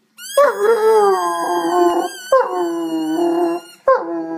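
An Irish Wolfhound howls in long, wavering, tonal notes, each starting with a sharp rise then sliding lower.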